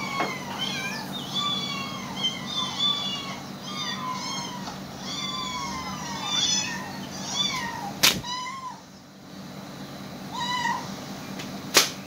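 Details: Cats hearing animal sounds played to them answer with a quick series of short, bending meows, some rising then falling, broken by two sharp clicks and a quieter stretch before a few more calls.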